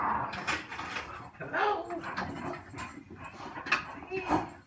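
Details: Two French Bulldogs waiting on a weekday around 5 PM for their owner to come home from work whine in thin, high, wavering tones while a person talks nearby.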